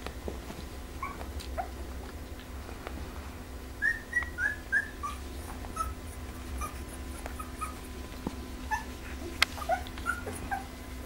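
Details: Pembroke Welsh Corgi litter A of the Preberry kennel, sired by Danny Toivu My Delight out of Image Čičiko: scattered short squeaky whimpers, a quick run of high squeals midway, over a steady low hum.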